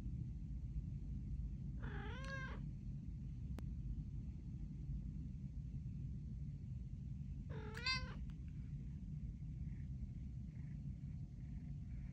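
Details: Theo, a pet cat talking to its owner indoors, gives two drawn-out wavering meows about six seconds apart over a steady low hum, with a man greeting him briefly nearby.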